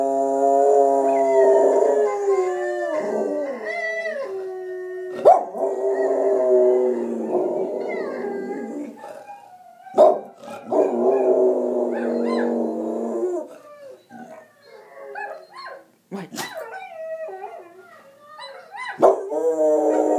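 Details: Four-year-old Soft Coated Wheaten Terrier howling along to wolf sounds: long wavering tonal howls sliding up and down, broken by short yips and whimpers, with quieter gaps near the end.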